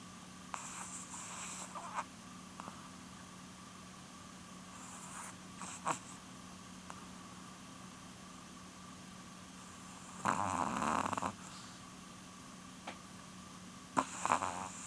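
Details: Porun, a female Chihuahua almost twelve, sleeps and snores in soft, irregular rasps, including one longer, fuller snore about two-thirds through, against a quiet hum and faint ticks.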